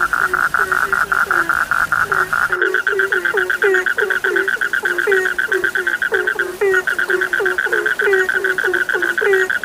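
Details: Many frogs call at once: quick repeated mid-pitched pulses, clipped upward-flicking notes, and a steady run of short low croaks, several per second, in a thick chorus.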